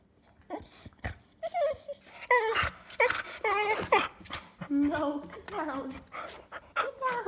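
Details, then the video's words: Pet cocker spaniel in a small room 'talking': a rapid string of wavering whines and yodel-like moans with bending pitch, mixed with a person's voice telling the dog to get down. "the talking cocker spaniel"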